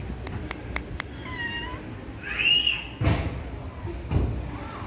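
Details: Orange and ginger stray kitten playing with a person, biting hands and clawing shoes; two short meows, the first level, the second higher and arching, amid quick clicks and a couple of dull thuds.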